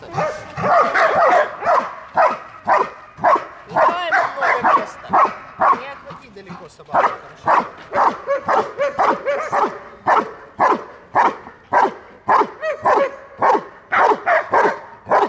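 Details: Belgian Malinois protecting its female handler during guard-dog training at Dyukovsky Park, Odesa, Ukraine; rhythmic, powerful barking at about two barks per second continues for the whole stretch while a trainer's voice gives instructions underneath.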